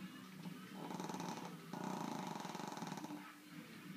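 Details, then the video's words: Female Brussels Griffon crossed with Pug, a flat-faced dog said to snore loud enough to drown out a television, snoring heavily: rasping, pulsing snores with a rough rattle, swelling and fading over a few seconds. "Loud Snoring Dog"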